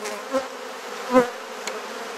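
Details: Honey bees at an opened hive during an inspection in a garden in Perth, Australia: a steady low buzzing drone, broken by two short knocks as frames are handled.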